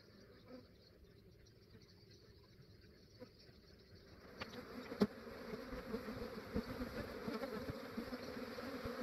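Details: Massive honey bee swarm being captured by an Australian beekeeper early in the morning, before the day warmed up; quiet at first, then a dense, steady low hum of many bees swells in about halfway through, with a sharp knock.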